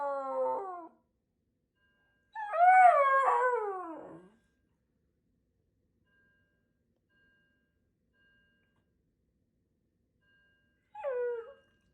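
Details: A Shiba Inu screams at a fire alarm, letting out shrill, wavering screams that slide downward, with long silent gaps between them.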